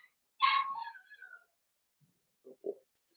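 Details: Blenheim Cavalier King Charles Spaniel puppy from a litter of five born on New Year's, in a home puppy pen; one high whining yelp that slides downward, followed by two short low grunts.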